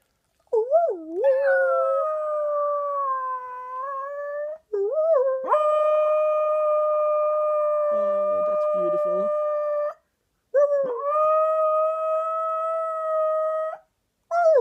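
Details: One-year-old male pet Shetland Sheepdog 'singing': three long, steady, tonal howls of about four to five seconds each, each opening with a wavering, sliding start before levelling off, with short silences between and a faint human voice mid-clip.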